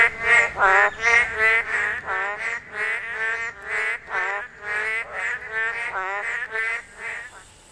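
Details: During spawning, the only season Korean narrow-mouthed toads call. Distinct, resonant croaks repeat at a fairly even pace of about two or three a second, then fade toward the end.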